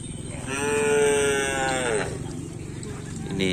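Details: Cattle in training for a kerapan sapi bull race at the Asemanis field, 6 November 2022, ahead of a competition; one long, steady, tonal moo bending slightly downward at its end, with music and voices faintly behind.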